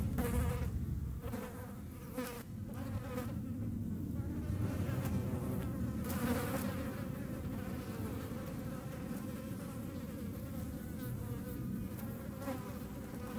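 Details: A hornet chasing flies in the Eifel gives a low, steady wing buzz throughout, with harmonic overtones rising and falling.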